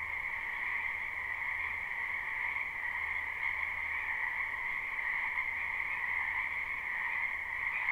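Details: Frogs croaking in a springtime backyard wetland, live recording: many overlapping voices merge into an unbroken shimmering chorus, steady in loudness throughout, with a low hum coming and going underneath.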